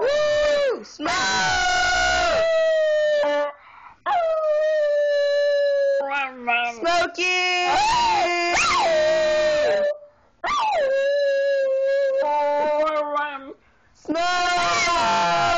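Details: Smokey, a pet Miniature Schnauzer, singing indoors: long wavering howls held two to three seconds each with rich harmonics, sliding down at the ends, separated by short pauses, with a person's voice in between.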